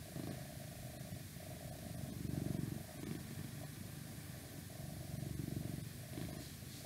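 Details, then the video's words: Domestic cat purring steadily, a deep vibrating rumble that swells and fades with each breath, about two strong surges, over a faint background hum. "Cat Purring"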